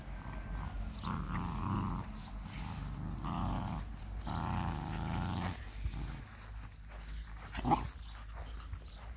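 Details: German Boxer dogs growling: several drawn-out, rough, rumbling bursts during the first five seconds, then quieter, with a sharp knock near eight seconds over a steady low background rumble.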